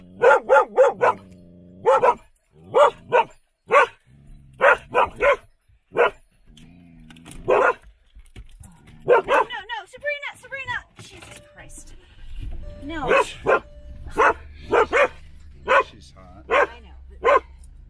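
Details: Standard poodles in Ketchum, Sun Valley, Idaho: short, punchy barks repeated roughly every half second to second across the recording, interrupted midway by human talking and a low background hum later on.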